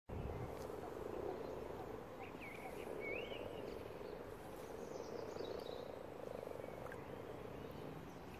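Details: Common frogs spawning in a garden pond, over a hundred gathered; a continuous low purring croak chorus fills the background, with a few faint bird whistles above.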